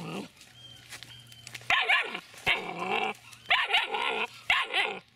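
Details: Young Dobermann puppy, seven weeks three days old, quiet at first, then four loud raspy barks with bending pitch, roughly one per second, each sharply started.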